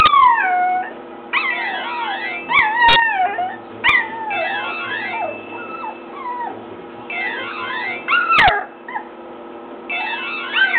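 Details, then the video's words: Nine-week-old puppy Chewy howling along to a ring tone he hates; sliding wavering howls and whines overlap a looping synthetic tune, with a few loud clicks. "Chewy hating the ring tone"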